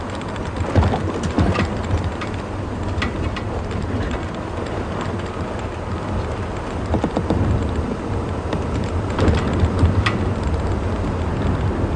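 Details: Steady rain and low rumbling, possibly distant thunder or an engine, with no animal calls heard.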